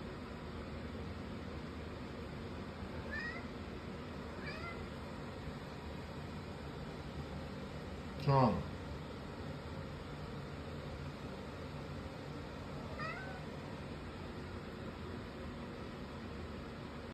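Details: Crying cat giving a series of short, rising meows, the first two soft and close together, then one much louder, sharper cry midway and a last faint meow near the end, over a steady low background hum.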